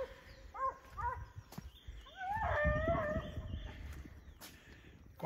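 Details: Foxhound at a kennel, where the old hound Faísca is kept, giving a few short yelps and then a longer wavering howl over a rumbling, noisy background.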